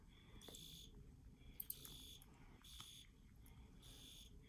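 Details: Field cricket chirping: short, bright, buzzy pulses repeat roughly once a second over a steady low rumble, with a few faint clicks between them.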